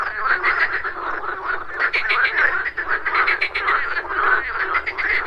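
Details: Frogs croaking at a pond in the morning, a dense overlapping chorus of rapid pulsed croaks with steady low background rumble.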